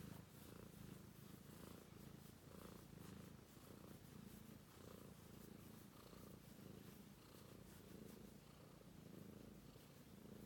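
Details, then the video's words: Romeo the British Shorthair kitten, asleep, keeps up a low buzzing purr in even breath-paced pulses, with a faint hiss of background noise throughout. "Romeo, Sweet British Shorthair Cat Purring"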